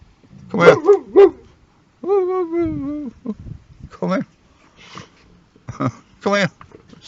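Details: Boxer dog guarding a car as a living car alarm: two quick barks, a drawn-out falling whine, then a scatter of short yips and barks.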